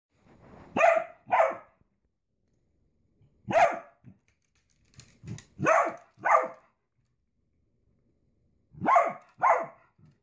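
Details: Dachshund, a sausage dog kept as a pet, barking in loud paired bursts, two sharp barks close together, then a pause and another pair, repeated three times over ten seconds, with a few soft grunts between; otherwise quiet.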